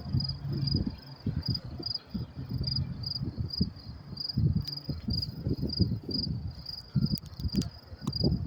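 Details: Crickets chirping at night, around 10:30 p.m., at the Mets-Willets Point LIRR train station in New York City on May 28, 2024: steady high, thin pulsed chirps, about two or three a second, over a low rumbling background with scattered knocks.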